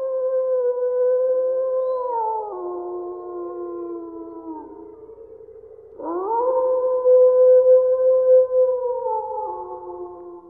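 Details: Two long wolf howls in succession: the first holds steady, then drops in pitch and sags lower, and the second rises sharply before settling into a sustained, even tone that steps down near the end.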